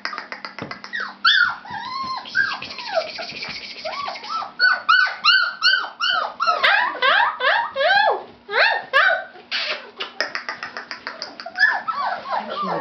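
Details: A litter of fawn Labrador Retriever puppies whining and squealing together in high, arching, overlapping cries.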